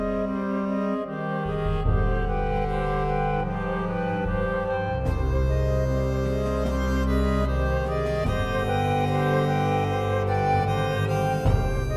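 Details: Bowed string music, cello-like and deep, plays steadily throughout with sustained notes; no animal is heard.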